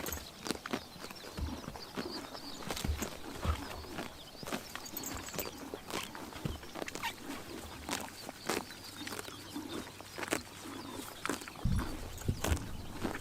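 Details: Horses grazing on a summer morning in Tuv province, Mongolia: a steady run of crisp chomping and tearing clicks, irregular but nearly continuous, with faint high bird chirps in the background.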